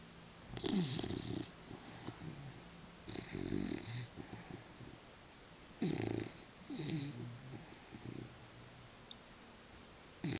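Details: Willow, a female British Bulldog, fast asleep on a couch with her tongue flapping: loud rough snores in bursts about every one to three seconds, each a rasping breath with a hissy, wheezy edge.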